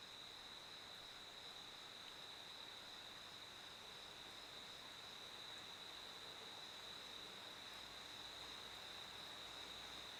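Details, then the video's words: Unbroken high-pitched cricket trill, level and continuous, heard over an even layer of background hiss. "A Cricket's Chirping Sound"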